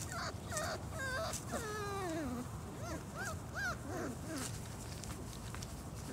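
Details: Four-week-old German Shorthaired Pointer puppies outdoors for the first time, whining in thin, rising-and-falling drawn-out whimpers, one long sliding cry followed by shorter arched whines, over a steady background hiss.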